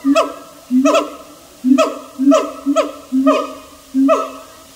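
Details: Siamang calling with booming, nasal hoots that sweep downward, repeated in bursts roughly every half second to second, strong and close.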